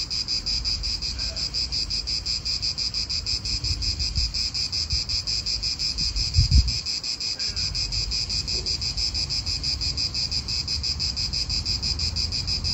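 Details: Pulsing, sizzling cicada chorus from an Italian park, continuous throughout. Low gusts of wind and a short knock around six seconds. Faint bird notes drift in the background.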